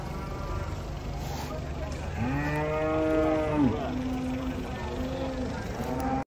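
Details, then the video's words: A big bovine unloaded from a truck gives a long, full moo that swells and then bends downward, followed by a quieter lower call, with steady low rumble underneath. "KUMPULAN SAPI RAKSASA UNIK TURUN DARI TRUK RAME SEKALI"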